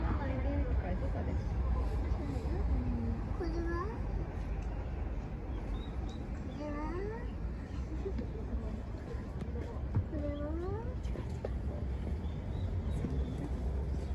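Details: Maya, a jaguar at Oji Zoo, calls toward her bedroom on 25 February 2023 at 13:53, eager to go back. Rising, arched whining cries repeat irregularly over a steady hum of visitors' chatter and background noise.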